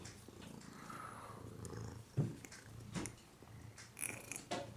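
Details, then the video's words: Woody the domestic cat purring: a low, continuous rumbling throb with soft rhythmic pulsing, a few faint clicks and rustles scattered through the quiet background. "Purring Woodcat"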